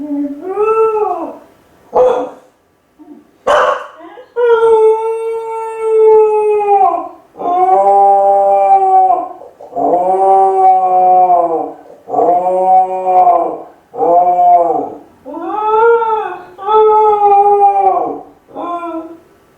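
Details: Kai Ken named Ichi, a lonely pet dog howling like a wolf while left home alone for about fifty minutes; long, rich, harmonic howls rising then falling, repeated in a steady series with short gaps, after a few sharp yelps.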